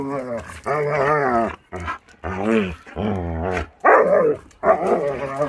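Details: Playful Akita Inu puppies romping in their yard in the warm season, giving a near-continuous run of wavering, talkative, harmonic yowls and grumbles in short bursts, some rougher and growly toward the end.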